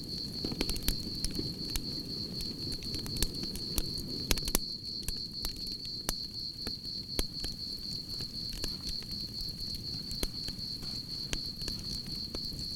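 A cricket gives a steady, high, pulsing trill beside the crackle and pop of a burning campfire.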